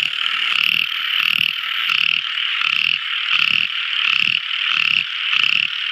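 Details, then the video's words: Night-time song of a tiny frog: short raspy croaks repeated a little faster than once per second, backed by a constant shrill droning chorus. "Tiny Frog Crying | Never Listening So Beautiful Frog Song! At Night Time!"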